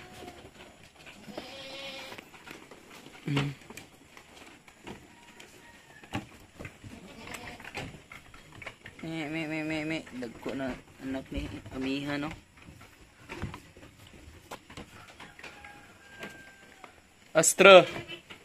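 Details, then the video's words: Goats during kid weaning at Terra Grande Farms, Negros Occidental, Philippines: a few scattered, quavering bleats, one long tremulous call near the middle, with clattering farm noises and speech between them. "How to wean goat kids"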